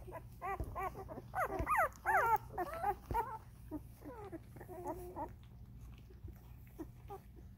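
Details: Vizsla puppies, thirteen days old, indoors, giving a rapid run of high, wavering squeals and whimpers, loudest in the middle, then fading into softer, scattered whines.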